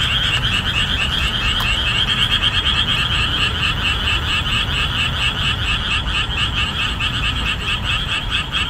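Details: Boreal digging frogs calling at full volume in summer marshland laid bare after the rainy season ends; a dense, unbroken chorus of overlapping, rhythmic croaks repeating roughly twice a second, with no other clear sounds.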